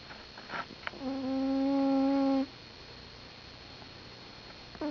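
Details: Sleeping domestic cat snoring: one steady, whistle-like nasal tone with bright overtones, held for about a second and a half, then quiet breathing noise with a few faint clicks.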